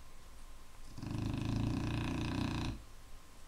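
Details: Clumber Spaniel giving one heavy, vibrating snore of nearly two seconds, a coarse buzzy rattle with rich overtones, framed by soft breathing.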